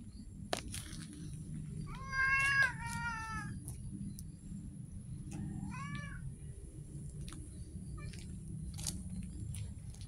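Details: Stray street cat giving a short wavering meow followed by a brief rising-falling mew a few seconds later, with low background rumble, occasional clicks and a thin high whine.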